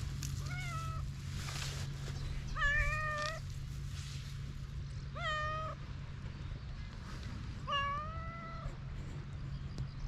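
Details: Hungry cats on a cat island in Japan, outdoors before a man feeds them; four separate wavering meows spaced about every two and a half seconds, with a steady low hum underneath.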